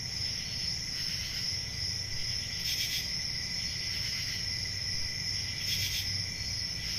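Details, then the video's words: Summer night crickets in the countryside, continuous high-pitched trilling in two bands, swelling into rhythmic pulsed bursts around the third and sixth seconds, a faint low rumble beneath. "10 Hours Relaxing Cricket Sounds For Sleep"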